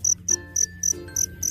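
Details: A two-spotted cricket (black field cricket) sings at night from near its burrow in high, pure chirps, about three to four per second, late in the cricket season.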